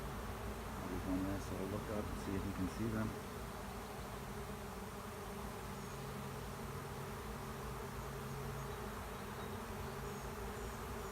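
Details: Swarm of honey bees moving into an empty hive at the end of a driveway; a steady low droning hum of many wings runs throughout, with a few louder rustling bursts in the first three seconds.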